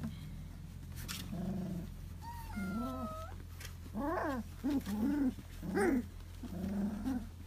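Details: Litter of two-month-old puppies; a series of rising-and-falling whines and grumbling growls, each about half a second, repeated roughly every second, over a constant low electrical hum.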